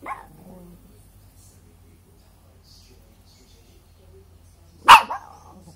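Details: A dog gives one sharp, loud bark near the end after a faint short sound at the start and a long quiet stretch.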